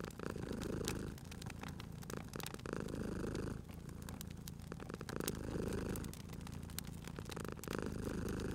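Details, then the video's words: Cozy sleeping cat by a crackling fire, purring in strong rhythmic waves, a buzzing low rumble repeating with each inhale and exhale roughly every two and a half seconds, while the fire pops and crackles constantly. "Cute Purring Cat at a Crackling Fireplace"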